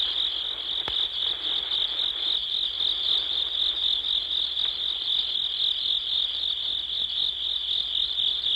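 A dense, steady chorus of field insects trilling continuously at a high pitch.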